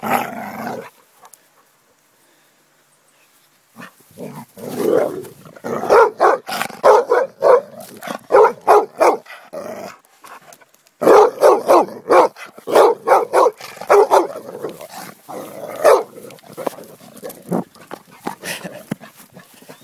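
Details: A Basset Hound at play gives rapid bursts of deep, rough barks mixed with growly, playful vocalizing.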